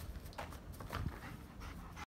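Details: German Shepherd jumping, giving quick, breathy, noisy panting bursts that come in short uneven puffs over a low rumbling background.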